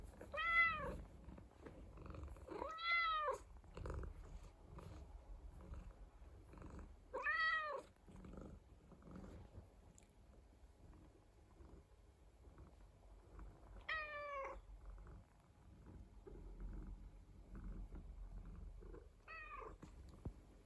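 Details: Indoor rescued cat purring with a low rumble under the whole stretch, broken by short arched meows, three close together early on, then two more spaced later, some rising sharply.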